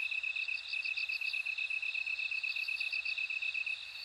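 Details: Bell cricket song: two runs of rapid, high, tinkling pulses sound over a steadily beating lower cricket trill. The insect chorus is loud and even.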